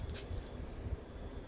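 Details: Crickets chirping outside at night in Florida during heat lightning with no storm noise; a steady high continuous trill runs through, with faint low rumble beneath.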